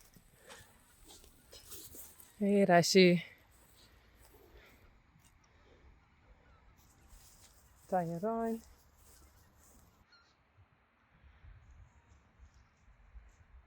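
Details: Friesian horses in the pasture, allowed back outside again. Two wavering, harmonic whinnies: a longer, louder one near the start and a shorter one about five seconds later. Otherwise a quiet outdoor background.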